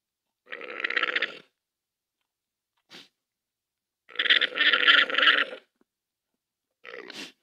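A llama gives harsh, gurgling, buzzy calls in bursts about a second long.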